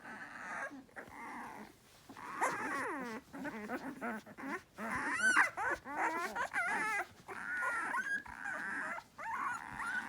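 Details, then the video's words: Several hungry puppies waiting for their mother: a busy chorus of high, thin whines and squeaky yelps, wavering and overlapping in quick bursts with short gaps, one sharp rising squeal midway. "Some puppies are making noise"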